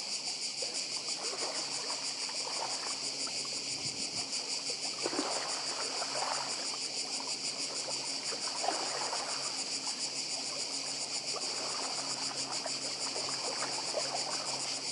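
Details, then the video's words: Chorus of cicadas on the Croatian island of Badija: an unbroken, shrill, rapidly pulsing drone sustained throughout, with gentle rolling sea waves underneath and occasional brief low thumps. "Cykady i szum morza w Chorwacji"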